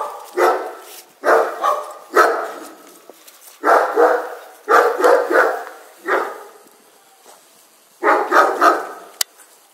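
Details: A Cavalier King Charles Spaniel facing a German Shepherd barks in quick, uneven bursts, often two or three barks close together.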